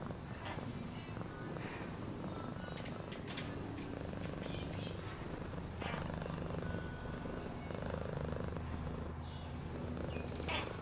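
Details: Continuous deep purring of a domestic cat, fast soft pulsations throughout, accompanied by occasional sharp clicks and shuffling sounds.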